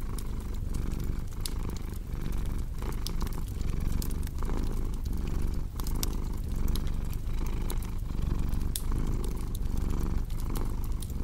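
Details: A cat purrs in a deep, even drone broken into breathing pulses, with a wood fire crackling and snapping steadily alongside.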